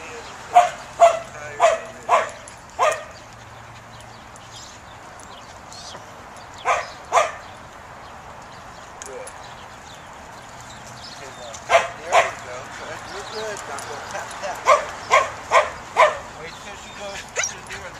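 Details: Samoyed, a fluffy white herding and sled dog breed, during a herding instinct test; sharp short barks in quick bursts of five, then two, then a longer run near the end, with quiet gaps between.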